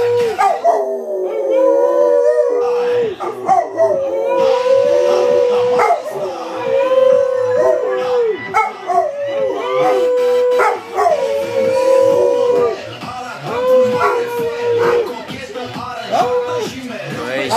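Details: A Rottweiler howling in what is called Romanian style: long, held, slightly wavering notes, each sustained for one to two seconds and repeated throughout, with short breaks and sharp clicks and knocks between them.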